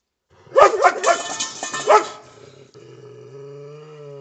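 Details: A German Shepherd barks together with a Belgian Shepherd: a quick run of four or five loud, rough barks over about a second and a half, then a steady low humming tone fills the rest.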